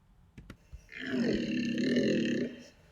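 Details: A Corsican red deer gives a harsh, droning roar of about a second and a half, deep and steady; this small deer has a very low fundamental frequency from a large larynx and thick vocal folds.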